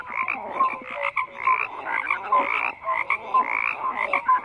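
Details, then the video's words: Dense frog chorus with bursts of buzzy, rattling croaks that swell and dip roughly every second, punctuated by short clear tonal notes. "FROGS CROAKING"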